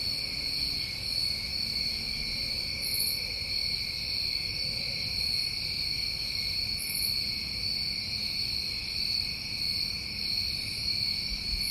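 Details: A dense chorus of New England crickets on a summer recording, a constant high trill in two bands, with short upper buzzes recurring every few seconds and soft low ambient noise.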